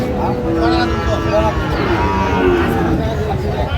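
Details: Sahiwal bull bought by a farmer from Madaripur at a cattle market, 25/8/25: low, drawn-out harmonic moos, two or three short lowing calls over a steady din of crowd chatter and market noise.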